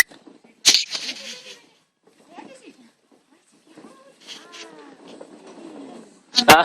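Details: Labrador Retriever puppies, five weeks old, at play in a garden: a thin drawn-out whine sliding downward in pitch, with scattered squeaks and grunts, framed by loud sharp knocks at the start and end.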